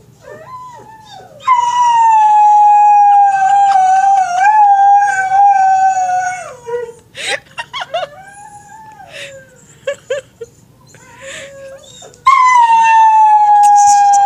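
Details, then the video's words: Greyhound howling at another greyhound shown on TV: a loud, long, steady howl held for about five seconds, then broken yips and short whines, and another loud sustained howl starting near the end. "Howling at another greyhound on tv"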